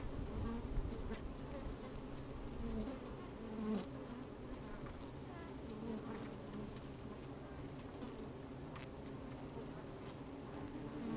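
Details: Honey bees moving about inside an opened hive on a fine sunny day, microphone down in the hive: soft, even low hum with occasional short buzzes and faint clicks, brief swell near the end.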